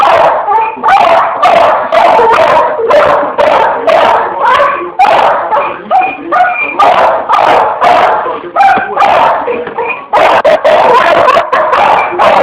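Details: Pit Bull playing with an electric fan indoors, giving a dense run of short, loud barks and yips packed together almost without pause for the whole stretch, with a brief break near the tenth second before the barking resumes.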